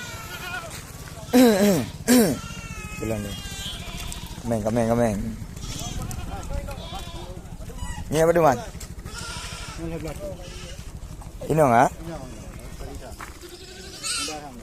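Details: Several sharp, tremulous goat bleats spaced seconds apart, some fainter and farther off, from goats sold at Blangjrun, North Aceh, Indonesia, against a persistent low rumbling hum.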